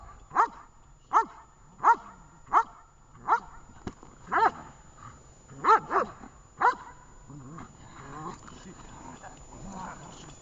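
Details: Dog named Vesta during a training session in Horlivka, 20 July 2019: loud single barks repeated roughly every three-quarters of a second, then fading into softer murmuring and background sounds.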